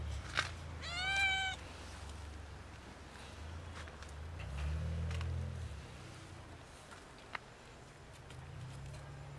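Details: One loud, rising-falling harmonic meow from a domestic cat asking for food, part of a group of a kitten and two cats, followed by low rumbling background noise and a few soft clicks.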